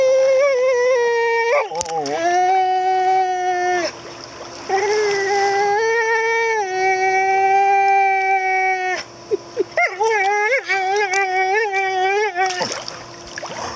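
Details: A very vocal female American Pit Bull Terrier "talks" to people with long, drawn-out whines that slide up and down in pitch.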